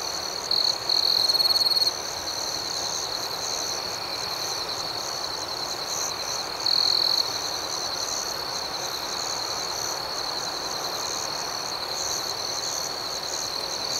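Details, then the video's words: Outdoor night chorus of crickets, a constant high ringing trill with a softer pulsing layer. A louder burst starts the clip around one to two seconds, and another follows near seven seconds. "Soothing Cricket Sounds"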